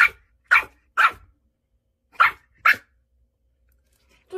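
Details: Annoyed Pomeranian puppy barking indoors after having eaten egg earlier; five sharp yaps, three in quick succession, a pause, then two more close together, and a final short yap, over near silence.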